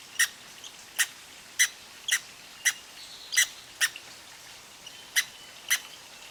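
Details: Red squirrel with a case of hiccups from eating too fast: sparse sharp squeaky hics, about one or two a second with a short pause midway, over quiet outdoor background.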